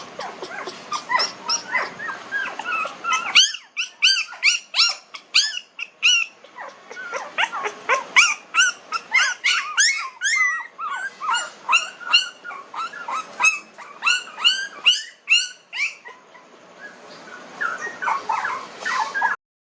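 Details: Several 19-day-old puppies in a village cry together: dense, high-pitched squeaks and whines, arched and bending in pitch, tumbling over one another almost continuously, with a few short gaps before the noisy crying resumes.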